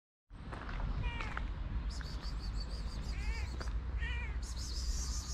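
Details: Hungry white stray cats with blue eyes on a Moroccan street meow in short harmonic calls, several arching upward then falling, spaced about a second apart over steady low street rumble.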